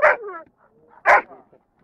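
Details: Young Dobermann in the junior class at a national breed gathering in Rome, Italy, on 21 March 2010, placing third: two loud, deep single barks about a second apart, with quiet between.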